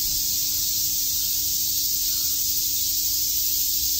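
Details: Cicadas chirping on a summer day in Shakujii Park, Tokyo: a dense, continuous high-pitched hissing drone that holds steady, with no breaks and no other clear sounds.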